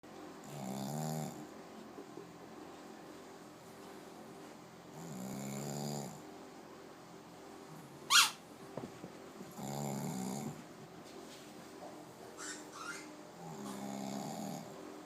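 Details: A small female Shih Tzu, sleepy after a walk and shower and wrapped in a warm towel, snores in slow, rumbling breaths roughly every four to five seconds, with another dog's squeaky ball audible.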